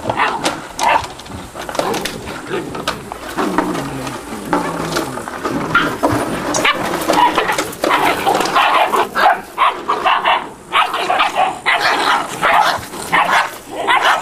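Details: A litter of eight-week-old Malinois puppies keeps up a continuous, jumbled chorus of yelps, whines and short barks, voices overlapping with hardly a break.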